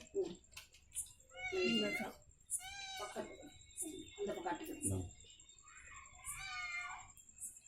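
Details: Ishu, a mother cat that has just given birth to kittens, meows indoors at feeding time. There are three or four drawn-out wavering meows, rising then falling, between a woman's Tamil words coaxing her to eat.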